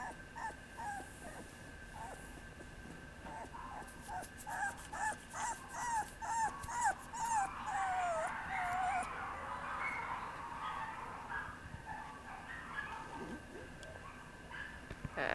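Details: Papillon puppy whining in quick, repeated high yelps that grow into a drawn-out, wavering whine falling at the end, followed by a broad rustling noise; a steady background hum throughout.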